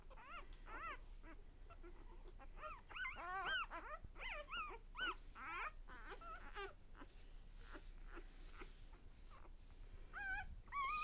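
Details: Newborn litter of puppies at one day old, crying in quick strings of high, wavering squeals that bend up and down, several pups overlapping, then a quieter stretch before a final rising whine.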